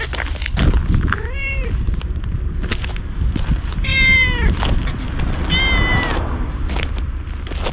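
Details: A ginger tabby stray walks up to a man as though seeking protection, recorded with a GoPro HERO8. Three plaintive meows come spaced a few seconds apart, each arching up and dropping away, over steady low outdoor rumble.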